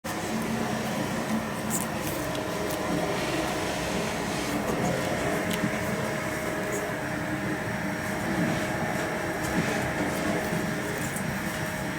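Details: A steady mechanical hum like air conditioning runs throughout indoors, with faint tonal whine and no animal sound.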